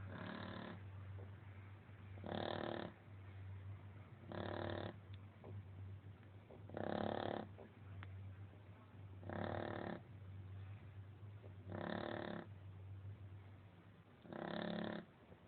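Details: A female Shar Pei asleep, snoring like a man; even, raspy snores repeat roughly every two and a half seconds over a constant low hum, seven snores in all.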